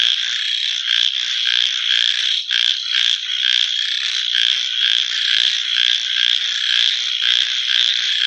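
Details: Frogs at night croak in a fast, uneven rhythm, roughly two pulses a second, layered over a constant shrill trilling chorus.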